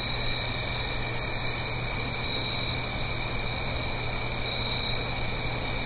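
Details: Fall crickets singing after dark in the Blue Ridge Mountains above a stream: constant high ringing trills, a short very high buzzy pulse near the start, and a soft rushing background throughout.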